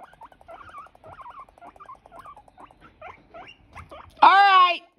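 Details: Guinea pigs fighting indoors: a string of brief warbling chirps repeated about every quarter second, then a loud, shrill, harmonic squeal lasting half a second at the end.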